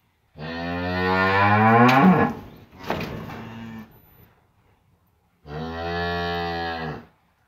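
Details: A cow lows beside a newborn calf rising for the first time on a farm: a long, strong, rising moo lasting about two seconds, a shorter rougher bellow right after, a pause, then another sustained, even moo.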